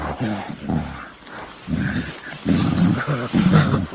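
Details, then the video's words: Gorilla giving deep, low grunting and rumbling calls in irregular bursts, some rising into louder throaty rumbles toward the end, over a faint noisy background. "Real Gorilla Sound"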